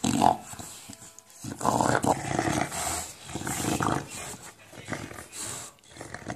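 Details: English bulldog playing with a tennis ball indoors, making monster-like noises: throaty, rasping growls in short surges about every second, with a brief high whine near the start.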